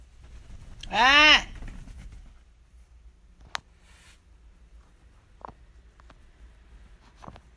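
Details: Shiba Inu dog at home, giving a single loud, rising-then-falling harmonic cry that lasts about half a second, followed by a quiet room with a few faint clicks and taps.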